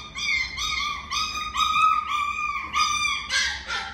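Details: Miniature Schnauzer giving a long series of high, drawn-out whining cries with clear harmonics, each held about half a second, rising slightly and repeated in quick succession, ending in a rougher squeal.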